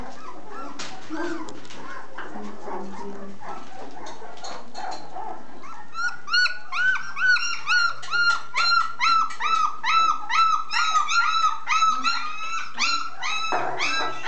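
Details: Full-pedigree Basset Hound: after six muffled seconds of scuffling and mixed low noise, a steady run of high, tonal whining yelps, about two per second, each with a slight rise and fall, continuing to the end.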